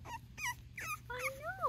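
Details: Five-week-old male tricolor Cavalier King Charles Spaniel puppy giving a short run of high, quavering whines and yips, the last ones sliding up then down in long drawn-out tones, after a woman's voice.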